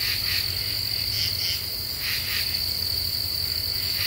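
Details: Common true katydids singing at night in a deciduous forest in the Ozarks, Eastern U.S.: raspy pulsed bursts in short groups of two or three, over a steady high insect drone and a low hum.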